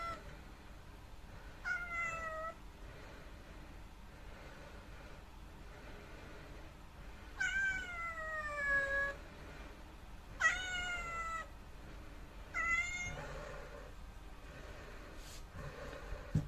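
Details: Grumbling black rescued kitten that followed someone to the toilet gives four long, falling meows over about eleven seconds, some strained and rising slightly before dropping, then a faint click near the end.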